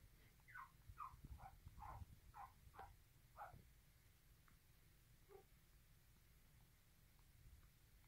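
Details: Poodle puppies nursing aggressively: a quick run of about nine short, high squeaks, each sliding downward in pitch, packed into the first three and a half seconds, then a few fainter scattered squeaks over a low, steady rumble.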